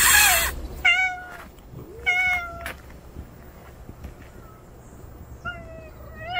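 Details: After a loud noisy burst, an unfamiliar male stray cat meows in bright, harmonic cries, two close together, then a quieter pair near the end. A faint high whine drifts in between.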